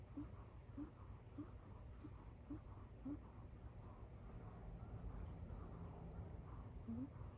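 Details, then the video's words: Kit Teas Chai, a kitten asleep on a couch, snores in a tiny donkey-like squeak: short, faint, rising squeaks repeat roughly every half second in a quiet room, then fade before a last squeak near the end. "kitten snoring like a lil donkey"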